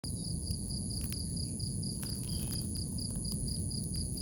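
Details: A cricket in grass in the morning: a steady, high, evenly pulsed chirring with a fainter continuous higher tone above it, over a constant low rumbling background noise.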